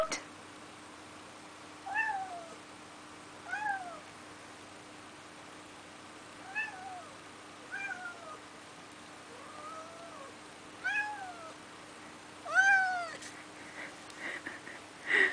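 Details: Neo, a male pet cat seeing snow for the first time, meows to be let outside: about eight drawn-out, arching meows spaced a second or two apart, some rising then falling, over a quiet indoor background.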